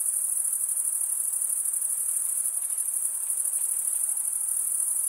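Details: Cricket stridulation, the wing-comb chirping of males, heard as a constant, very high ringing trill with fast rapid pulses and even loudness, without other noises.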